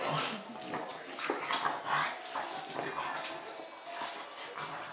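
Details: French Bulldog at Christmas time giving a run of short, breathy whimpers and snuffling yips, several bursts each second, with one thin high whine near the middle; a steady background hiss throughout.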